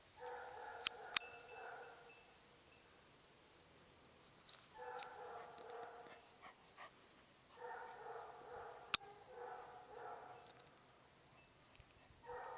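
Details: Shelter Basset Hound named Clarence, a former stray awaiting adoption, bays in rich, mournful bursts: a long run at the start, a pause, then repeated bays from about five seconds onward, each roughly a second long, against faint background hiss.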